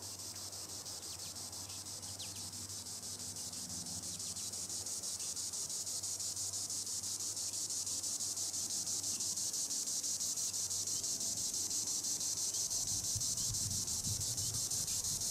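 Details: Green annual cicada, Tibicen linnei, buzzing from the treetops: a shrill, hissing drone that swells steadily louder over the first half, pulsing regularly, over a soft low hum.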